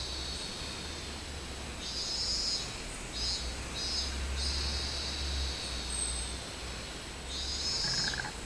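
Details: On 24 July 2016 a minmin cicada sings high, pulsating buzzy phrases in rhythmic runs, with a low rumbling hum in the background and a brief lower buzzing note near the end.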